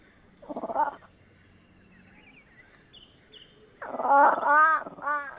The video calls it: Fishing Cat Vocalizations (Prionailurus viverrinus)